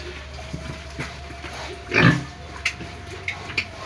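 A pig gives one loud, harsh squeal amid scattered short snorts and clicks over a steady low hum.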